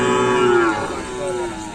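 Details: Cattle at a full training session for a kerapan sapi bull race at the Asemanis field, Pamekasan, ahead of a competition; a steady, harmonic-rich low moo that drops slightly in pitch and fades, with background crowd noise.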